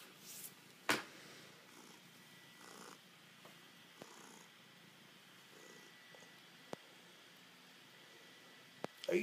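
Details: Cookie, a male pet cat, in his ritual affectionate 'love attack', all over his owner in a home office; soft, low, steady purring runs under scattered sharp clicks and rustles in a small indoor room.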